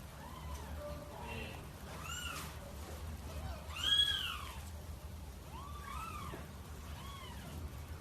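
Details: Domestic cat, described as fierce and wanting to mate, giving a series of arched, wailing meows, about six across eight seconds, the loudest near the middle, over a low steady hum.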